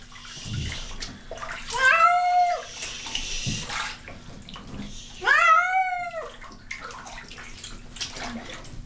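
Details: Pet cat named Baby meowing unhappily while being washed in a bathtub because she had become smelly; two drawn-out, wavering meows about three seconds apart over splashing water and bathroom noise.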